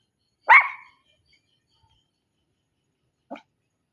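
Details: One loud, abrupt dog bark followed by a long pause and a much softer short yap near the end, nothing else audible.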